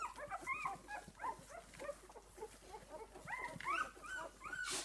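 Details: Six-day-old puppies of a litter with their mother, whimpering and squeaking continuously in a chorus of short, overlapping, rising and falling high-pitched cries, several pups calling at once.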